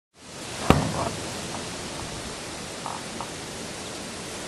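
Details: Steady broadband hiss with one sharp click near the start and a few faint taps, with no animal voice.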